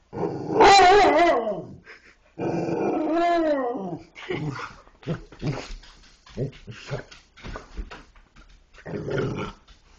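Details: Dogs vocalizing as if talking: a loud wavering, yodel-like moan that rises and falls, a second drawn-out warbling call, then soft short grunts and huffs before a final brief moan.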